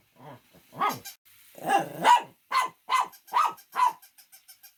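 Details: A dog lets out a run of loud barks, the first ones rough and growly. Clipped barks follow at a quick pace, and then a faint, fading ticking rattle.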